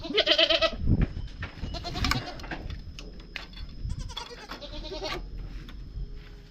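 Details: Goats newly bought, four more added to the herd, give a loud wavering bleat at the start, followed by scattered lower bleats over rustling and handling noise.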